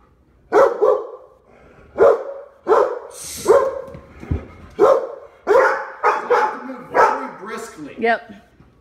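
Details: Labrador Retrievers in Omaha barking at the front door as it is opened during a training session for jumping and barking: a run of about nine loud harsh barks roughly every half second to second, ending in a higher yelp.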